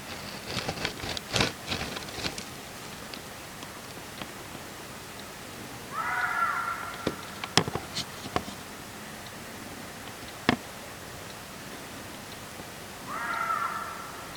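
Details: Reeves's muntjac calling at night with a strange voice: two hoarse, harsh barks about seven seconds apart, each short and rasping, with scattered clicks and rustles in between.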